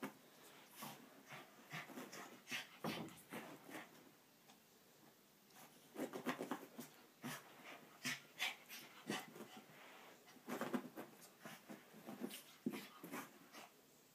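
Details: Chihuahua playing on a carpet after a shower indoors in Amarillo, Texas: bursts of rapid snorting, huffing breaths and scuffling, in irregular clusters with short quiet gaps.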